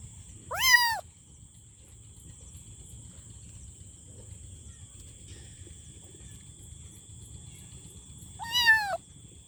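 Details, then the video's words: Kitten giving two brief, sharply falling meows far apart, one near the start and one near the end, with low rumbling background noise and a faint high whine between them. "Kitten Meowing|Kitten Meowing Sound Effect|Kitten Meowing Loudly"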